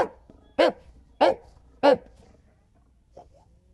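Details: Golden Retriever giving three loud, short barks at a steady rhythm roughly every 0.6 seconds, then falling quiet apart from a faint final yip.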